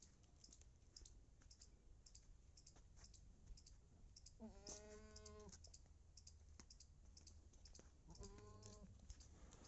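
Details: Female Beetal goat in Punjab, described as 4.5 months pregnant, gives two wavering, harmonic-rich bleats: one about a second long midway, a shorter one near the end, over steady background clicking and tapping.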